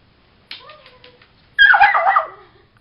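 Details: Harley, a puppy stuck under a bed during the night, gives a thin, wavering whine, then a loud, rough yelp that trails off, indoors in a small room.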